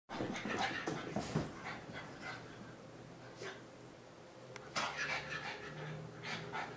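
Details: Two French Bulldogs, Molly and Kira, running around; rapid rhythmic panting with snuffling breaths, a few scuffling bursts and faint background hum.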